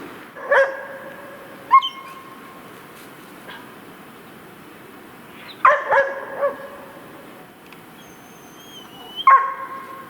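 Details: Hunting dogs barking at a sable that sits calmly during a sable hunt: short, sharp, ringing barks in scattered bursts, one early, a pair shortly after, a cluster mid-way and one near the end, with long quiet gaps between.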